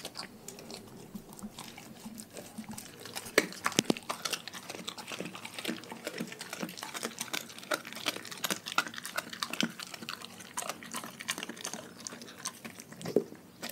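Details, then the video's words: Dogs from a pack chewing raw food indoors. Dense, steady wet clicking and chewing goes on throughout, with a few sharper, louder crunches standing out. "Dogs Eating Raw Food"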